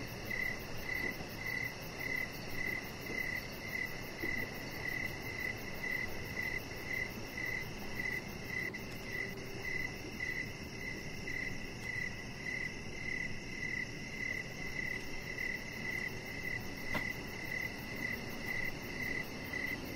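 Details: Outside on a deck at evening, crickets keep up a quick, regular stream of high, pulsing chirps that hardly pause, above a low, continuous background hiss.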